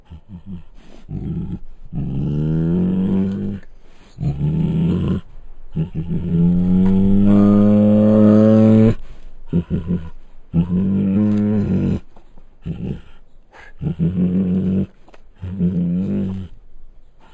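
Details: Bengal tiger held at Luján Zoo producing repeated low, rumbling roars and growls, short gruff bursts building to one long, rising, drawn-out moan near the middle, then more clipped growls with short gaps.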